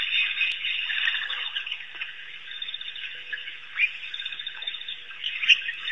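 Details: African wild dogs, also called painted or Cape hunting dogs, at Pete's Pond in Africa, giving a dense, high, squeaky twittering chatter that runs on without pause, with a few sharper chirps standing out near the end.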